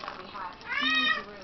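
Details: Male Bengal kitten, seven weeks old, gives a single rising-then-falling meow lasting about half a second, clear and tonal, with faint room noise and a person's voice just before.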